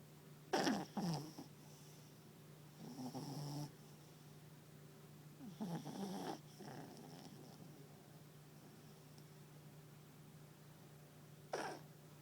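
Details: Chubby female Papillon asleep on her owner's lap, snoring. Soft breathy, rasping snorts come in short bursts about every three seconds, with a quieter gap before a final snort, over a steady low electrical hum.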